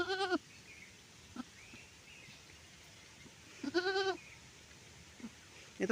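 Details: Goat giving birth: two loud, wavering, harmonic bleats about three and a half seconds apart, with a quieter short call between them and a faint low background hum.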